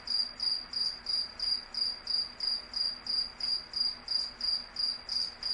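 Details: A cricket calls with bright, high-pitched chirps at an even pace of about three per second, each chirp a short trilled burst, faint hum underneath.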